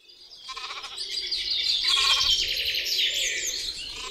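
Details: Texel sheep giving a few short, wavering, tremulous bleats, partly buried under continuous high, busy chirping and twittering of birds throughout.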